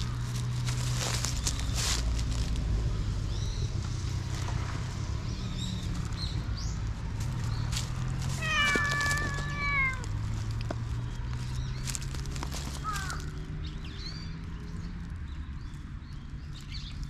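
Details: Pitch-black stray cat in a park, played with before it bites, recorded on a GoPro HERO8: one clear harmonic meow near the middle, held level and then drooping, a shorter upward mew later, over steady low rumble and rustling.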